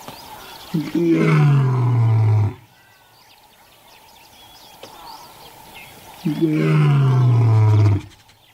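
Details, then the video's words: Lion roaring: two long, deep roars of nearly two seconds each, each opening higher and sliding down into a low, rough rumble, with about four seconds of near-quiet between them. "Lion Roar Compilation: Nature’s Most Powerful Sound"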